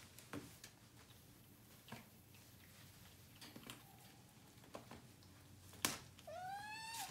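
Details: Domestic Shorthair cat named Portugal 1 (RavenClaw), awaiting adoption, recorded 4/1/2019 in a quiet room; scattered clicks and knocks, then one clear drawn-out meow near the end, slightly rising then holding steady.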